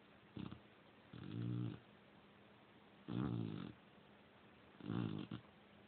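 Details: Female Cane Corso asleep at night indoors, snoring loudly in deep, low rumbling bursts, roughly every two seconds, each snore lasting about half a second with quiet breathing between.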